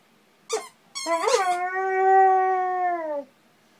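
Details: Pet dog howling in response to its squeaking toy turtle, recorded 7/28/10: two quick toy squeaks, then one steady, drawn-out tonal howl lasting about two seconds that slides downward at the end. A quiet room otherwise.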